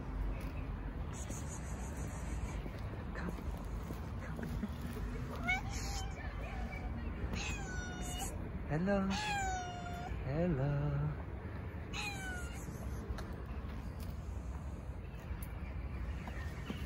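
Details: Stray cats in a park in Istanbul, including a tuxedo cat, gather around a volunteer who feeds them while she pets the tuxedo cat. Several harmonic meows, some rising and some falling, sound over a low urban rumble, with her soft voice in between.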